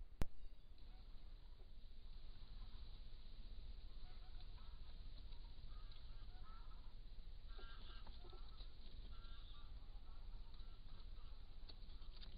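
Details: Stone marten family, still together, in an old barn: faint, short nasal calls in clustered bursts, some with a wavering, honking tone, scattered through the middle and later seconds over steady low hum and hiss.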